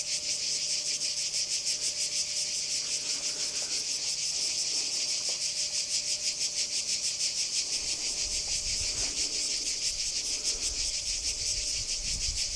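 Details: Singing cicada recorded at Kardamyli, 2013: loud, continuous high-pitched rasping buzz with regular rapid pulses, a faint steady tone and low thumps toward the end.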